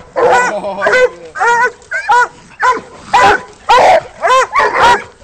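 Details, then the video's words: Walker coonhounds named Nitro, Rocky and Molly treeing a raccoon held in a rolling coon cage, giving loud, ringing bawls repeated roughly twice a second, each a short rising-falling yelp with a strong harmonic stack. "Walker Coon Hounds treeing a caged coon"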